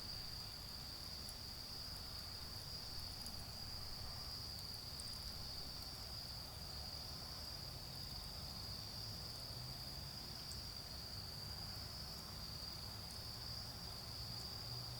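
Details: A continuous shrill insect trill from autumn insects, heard during a bonfire in a garden. It holds an even pitch throughout, with faint fire crackles and a soft low hum of distant traffic.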